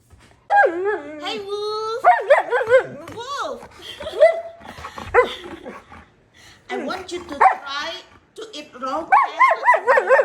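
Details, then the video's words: Husky malamute named Wulf talking back to his owner at home: drawn-out, bending howl-like tones that rise and fall, followed by choppy wavering woo sounds, with a woman speaking in between. "Best talking dog videos"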